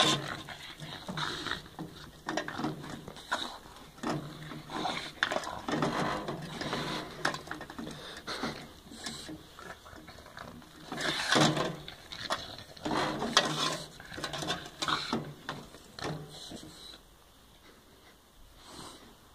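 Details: A French Bulldog pants and snorts in rapid, irregular bursts while destroying a broom indoors, with scraping and chewing noises.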